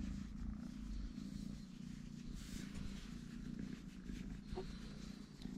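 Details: Totoshka, a three-legged kitten, purrs in a soft, even low hum that holds throughout, with light background hiss and a faint click toward the end.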